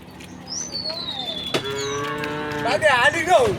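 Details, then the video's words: Dozens of tame cows heading along a path to a grassy green hill in rural surroundings; a falling whistled bird note comes first, then a steady bovine moo lasting over a second that breaks into a wavering, bending call. "the sound of cows mooing"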